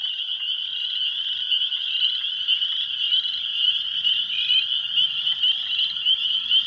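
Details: Dense, close chorus of spring peepers at an old pond in a sand pit on an April evening in 2023. High, shrill peeps overlap into a constant ringing wall of sound, with a faint low rumble beneath.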